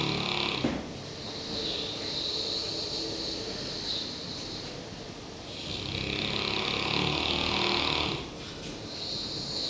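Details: Klein Sandfontein Daniel, a one-year-old South African Boerboel, asleep after a busy working day, snores in long rasping breaths that rise and fall in slow cycles, each swell lasting a few seconds.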